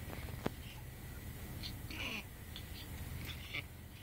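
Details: A 9-week-old female Pekingese-pug mix puppy that already has breathing problems breathes noisily with faint, raspy wheezes over a low background rumble.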